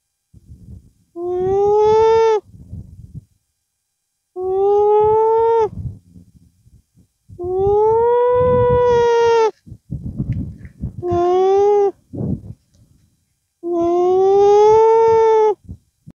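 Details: Llama beside its young, voicing repeated nasal hums to express itself: five drawn-out, tonal, mmm-like hums every three seconds or so, each gently rising then level, with low rustling and shuffling between them.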